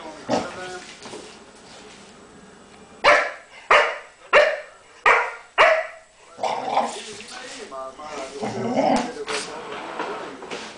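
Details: English Springer Spaniel play-fighting with a cat on a couch. It gives five short, sharp barks about half a second apart in the middle, with softer whining, harmonic vocal sounds and scuffling before and after.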